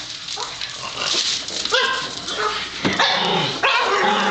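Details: Pet Pug going wild with excitement as the household trash is taken out: short sharp barks and yips at irregular intervals, mixed with people talking in the background.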